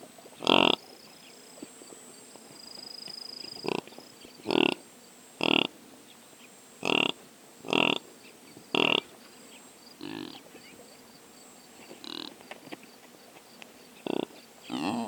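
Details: Impalas in African savannah, recorded unattended on a drop rig with a Sony PCM A10: a series of about eleven abrupt, clipped snorts at uneven intervals of one to two seconds, some loud and sharp, others fainter.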